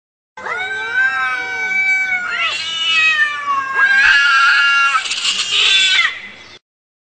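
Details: Angry cats fighting: long, wavering, harmonic-rich yowls that rise and fall in pitch, growing harsher and more strained in overlapping bursts across about six seconds, with no other sounds.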